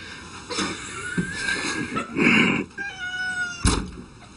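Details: Domestic cat, one of several startled by ordinary objects, gives drawn-out tonal meows that slide slightly in pitch, three or four in a row, broken by rustling and a sharp thump near the end.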